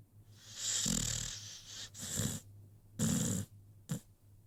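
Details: American Pit Bull Terrier asleep indoors, snoring in three drawn-out raspy breaths followed by a short snort, each breath hoarse and hissing with a low rumble, a faint steady hum underneath.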